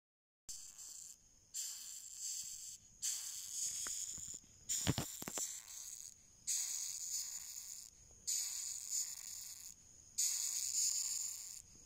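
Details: Asiatic rhinoceros beetle (Oryctes rhinoceros) screaming: repeated harsh, high, hissing bursts, each roughly a second long with short gaps between, about eight in all, with a few sharp clicks partway through.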